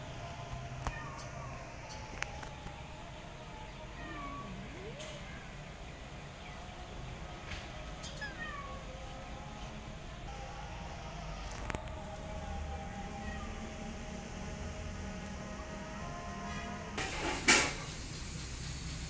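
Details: Pregnant, starving cat asking for food while her abandoned kitten still follows her; a few faint, drawn-out meows rise and fall over a steady low rumble, with scattered sharp clicks and knocks.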